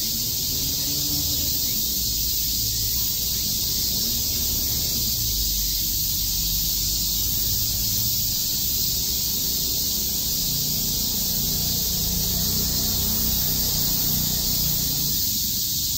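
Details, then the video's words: In Tokyo's Shakujii Park on a summer day, many cicadas chirp together in a steady, piercing buzz that fills the whole stretch, while low rumbling background noise swells and fades underneath. "Cicada chirps"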